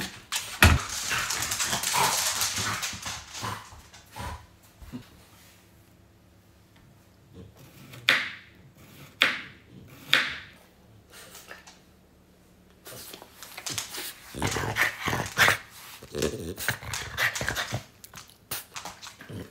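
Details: French Bulldog reacting after hearing strange noises indoors: short, sharp bursts in quick clusters around the middle, then a longer run of rough, broadband huffs and barks, with a noisy rustling burst at the start.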